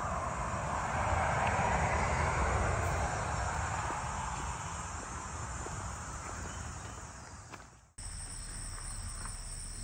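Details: Cicadas singing high in the trees on a warm, humid August 3rd, 2024 morning along the Cataraqui Trail, north shore of Sydenham Lake: a steady, high, unbroken buzz over low rumbling walking noise, briefly cut near eight seconds, then resuming as two steady tones.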